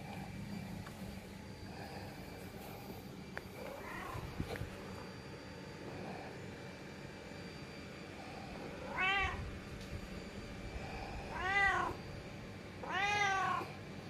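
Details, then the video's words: Domestic cat meowing because it doesn't want to be left behind: after soft faint sounds, three loud arched harmonic meows come near the end, spaced about two seconds apart, over a steady low room hum. "Gak Mau Ditinggal."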